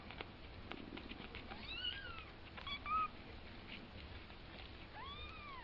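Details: A two-week-old kitten taking its first steps utters a quick cluster of thin, bowed mews, then one more drawn-out arched cry near the end, over quiet background hiss.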